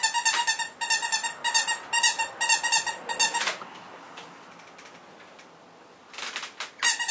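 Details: Cavalier King Charles Spaniel puppies born November 5, 2013 squeal in a long chain of short, high, harmonic whimpers about twice a second, then go quiet before a fresh burst of squeaks near the end.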